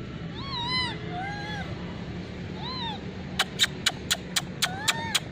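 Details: Wild, hungry monkeys gathering for food in the Margalla Hills, where they are fed corn by hand, give short, arched, whining squeals followed by a run of sharp, rapid clicks.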